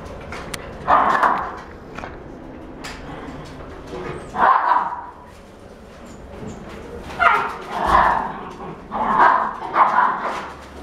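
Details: Female Shih Tzu with a white and gold coat, born September 2017; short yappy barks come in irregular bursts, about six over ten seconds, some paired close together, over a faint indoor background hum.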